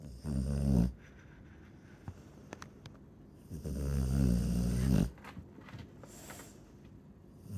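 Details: Chow Chow snoring in sleep: two long, deep, rattling snores, the first under a second, the second drawn out over about one and a half seconds, with quiet breathing between.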